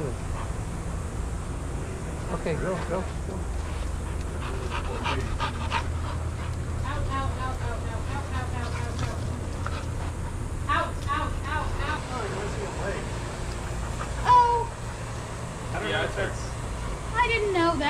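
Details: Shelter dogs playing at daycare, giving a long series of high, wavering whines and yelps, some bending up and down in pitch, with a few sharper yips near the end over a constant low background hum.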